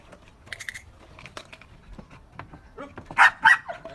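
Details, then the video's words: Trained Belgian Malinois barking on command, recorded 4 February 2023: after quiet shuffling and soft clicks, two loud, harsh barks come in quick succession at the end. "របៀបបង្រៀនឆ្កែអោយចេះព្រុស /How to teach a dog to bark"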